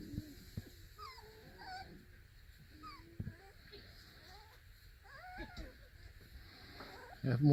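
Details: Beagle puppies, four weeks old, playing in a box from a Centralia, Washington breeder, give repeated high, wavering whines that rise and fall in pitch, with a few knocks and a loud thump at the end.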